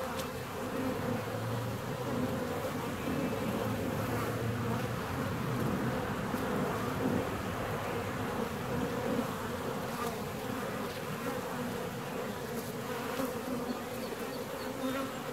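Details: Honey bees in hive 4, seventeen days after splitting, keep up a steady mass buzzing, with a low droning undertone that comes and goes and a few faint clicks.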